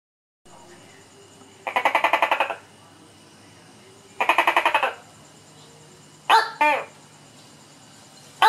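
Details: A tokay gecko (Gekko gekko) at Banlung, responding to a playback of its own recording, gives loud, rapid pulsed rattles followed by two sharp, harsh barking notes.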